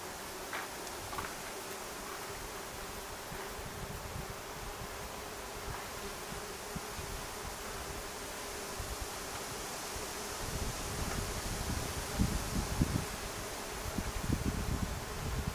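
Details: Wasps buzzing in a low, steady drone that holds one pitch throughout, soft and continuous, with rustling and scattered low thumps growing louder toward the end.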